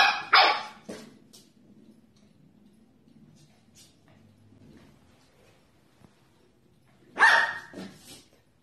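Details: Young Corgis barking: two loud high yaps at the start, then a long near-silent stretch with faint rumbling, and another loud pair of sharp barks before the close.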